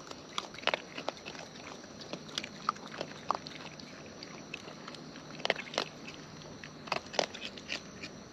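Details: Feeding wild raccoons heard up close: sparse sharp crunching clicks and smacks, grouped in short bursts, with quiet gaps between and a faint steady high tone behind.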